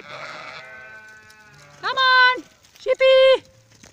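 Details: Sheep brought in for the night on 26 July 2017: a faint fading bleat opens, followed by two loud, harsh bleats about a second apart, each held steady with a sharp start and end.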